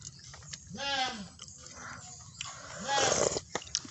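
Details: Goat bleating twice: a short harmonic bleat arching up and down in pitch, then a second, harsher bleat about two seconds later, partly masked by broadband noise and clicks.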